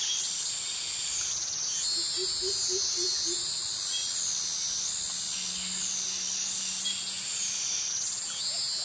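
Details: Cicadas in tropical jungle with mangroves at Krabi, Thailand; the males' mating call. A loud, high, shimmering buzz that swells and dips in waves about every one and a half seconds, with a few soft, low, quick notes near the start.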